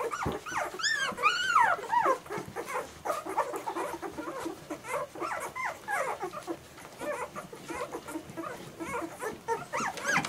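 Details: German Shorthaired Pointer puppies indoors, a litter whining and yelping together: many overlapping high, bent squeals and whimpers, rapid and irregular, with a louder rising-falling cry near the start.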